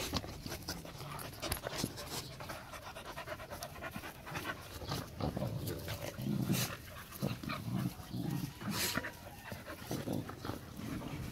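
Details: Four-month-old Rottweiler puppies, a litter from the Gervi kennel, playing together: steady rapid panting with scuffling and thumps throughout, a brief whine near the middle, and a man speaking Vietnamese.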